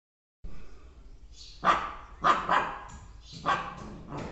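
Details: Two Bhotia puppies guarding their home for the first time: a few short sharp barks, single and paired, spaced about a second apart, over quiet background.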